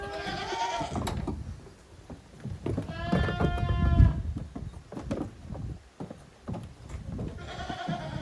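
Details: Goat kids romping in the exercise yard of a small Japanese goat farm on 30 April 2023; several quavering bleats at the start, middle and end, over continual hoof thuds and rustling from rough play.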